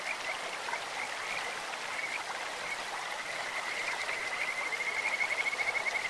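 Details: Stream-dwelling Kajika frogs: faint high whistles early on, then a clear, rapidly pulsed trill building louder toward the end, all set against continuous running-water noise.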